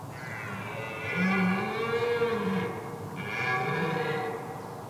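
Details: Wild red deer stag roaring during the rut to intimidate rivals on a heath: two long, deep, rasping roars, each rich in harmonics and lasting over a second, separated by a short pause.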